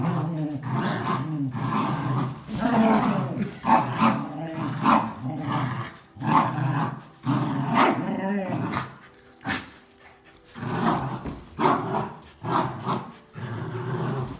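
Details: Tug-of-war over a towel among a Jack Russell Terrier and two Border Collies; rough growls come in repeated bursts roughly once a second, broken by a short lull near the middle, with occasional voices and a thin high squeak.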